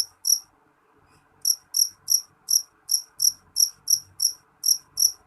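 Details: A jangkrik jeliteng cricket chirps twice, falls silent for about a second, then keeps up loud, ringing high chirps at roughly three per second until the end.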